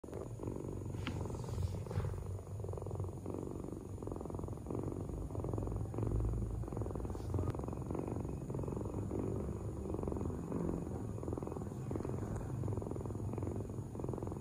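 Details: Domestic cat purring close up: a steady low rumbling vibration, continuous and even throughout, with a faint constant high-pitched hum in the background.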